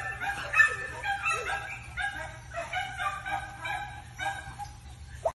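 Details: Male Patterdale Terrier of heavy Booth bloodlines with a touch of Nuttall, giving a run of high, harmonic yips and barks in quick bursts, some drawn out into whining tones, with a steady low hum underneath.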